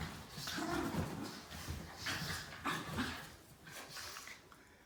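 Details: Basenji pups Zinga and Zulu at play: short throaty growling vocal bursts with a tonal edge, repeated roughly every second, mixed with scuffling and rustling of wrestling bodies.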